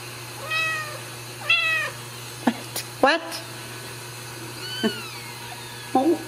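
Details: Ragdoll kittens raised uncaged in a home cattery in central Kansas, giving several clear high meows, some drawn-out and arched, others short and rising, over a steady low hum, with a woman talking between calls.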